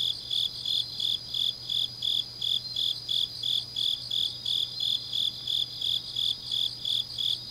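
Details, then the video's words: On a late autumn night in Changnyeong, Korea, grass insects trill in rapid, evenly spaced high chirps, close to three each second, against a shimmering continuous background of further insect song and a soft low hum. "깊은밤 가을 풀벌레 소리"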